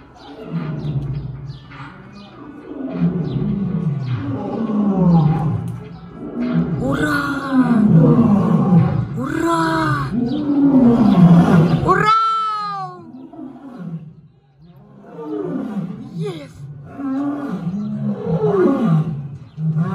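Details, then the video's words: Lions in a safari-park rehabilitation centre in Gelendzhik, on Russia's Black Sea coast, roaring to greet each other. Deep moaning roars and grunting calls swell and fade in a chorus, with a quick high descending sweep midway and a person's voice nearby. "Львы здороваются рыком!"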